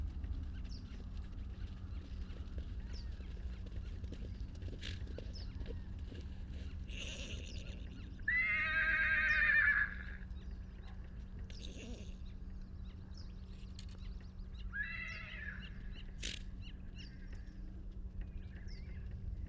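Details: Salt River wild horses in Arizona, a baby horse separated from his mother, captured by long-range microphone: a series of vibrato whinnies, the longest lasting about a second and a half midway, others shorter, amid soft hoof clicks and a low hum.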